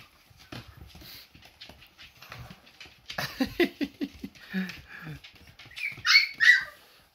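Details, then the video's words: Hungry Siberian Husky puppies chase their mother for milk; soft murmuring gives way to loud, shrill squeals rising near the end, with a person talking over the first part. "Щенки Хаски охотятся за молоком Мамка подожди мы голодные"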